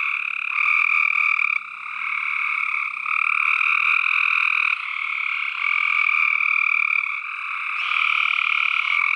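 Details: Dense massed calling of tree frogs, a constant buzzing wall of croaks with a bright upper tone and a lower one, pulsing slightly as individual callers drop in and out.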